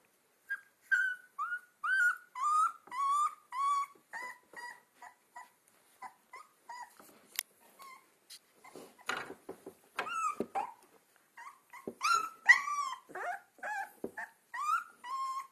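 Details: Two-week-old Alaskan Malamute puppies on their first outings whimper and squeal in short, high, wavering cries, several overlapping.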